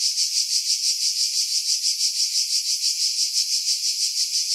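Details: Cicadas singing in pine trees about 50 m above the sea at Pefkos Bay, Skiros Island, Greece, in July 2018, recorded on a camera with external mic; a dense, steady high buzz pulsing about three times per second, with filtering removing wind buffeting.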